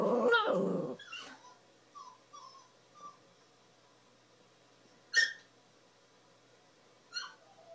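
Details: Dog whining heard while a Boston Terrier turns its head toward it: a loud opening burst, then short thin tonal whimpers near one second apart, with two brief sharper yelps later.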